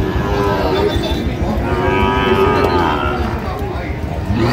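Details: Sahiwal bull at a Dhaka livestock market on 4 August 2025, being bought by a farmer: one long, low, drawn-out moo with clear harmonic bands that swells and sags, over crowd chatter and general market noise.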